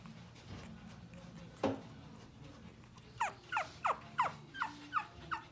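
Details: Long-haired Chihuahua puppy named Maro, a cheerful female born on 6 January and weighing 600 g, newly brought home; after a single soft knock, eight short, high, downward-sliding whimpers follow each other about every third of a second.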